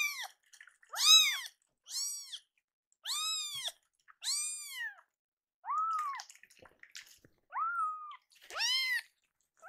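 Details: Two hungry rescued kittens kept indoors, annoyed at slow milk preparation, meow repeatedly: short, bright, arched calls about every second, a few lower drawn-out ones, faint rustling between.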